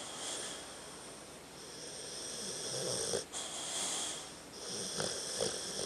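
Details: Tucker, a dog, snoozing with a wheezy snore: thin high whistling breaths, a brief break near the middle, then more raspy snoring with small snuffling catches toward the end.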